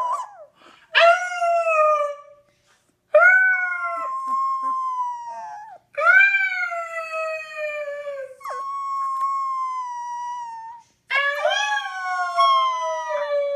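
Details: Puppy howling in long drawn notes, each starting with a sharp upward break then held steady and slowly falling, four extended howls separated by short silences.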